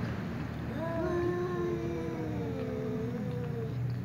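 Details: Tom cat, angry, meowing because a ginger cat keeps meowing; quiet, drawn-out low wavering meow that slides up and down, faint under constant low hum.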